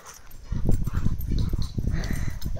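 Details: Rottweiler Toro, about 50 kg, wrestling with D'Arcy the Cane Corso, a dog of similar weight, as she spins and he chases; deep, rumbling, pulsing growls run almost continuously after a quiet start, with scuffling bursts between them.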